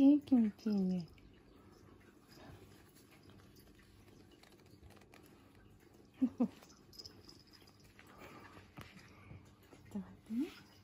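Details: Kitten Torakichi during its first nail clipping indoors, giving short, falling, mewing cries: a quick pair at the start, then single meows about six and ten seconds later, with quiet handling rustles between.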